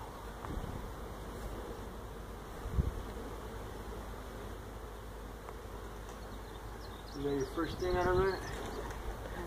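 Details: Feral honey bee colony that built its hive inside a tractor tire, in a tire stack at a citrus orchard in Mission, Texas, during hive removal; steady low buzzing drone throughout, a man's voice briefly near the end.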